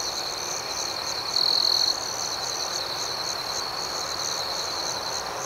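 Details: Nighttime cricket chorus, a continuous shrill high ringing with pulsing overtones; midway, one closer cricket adds a louder, even trill of about half a second before the steady drone resumes.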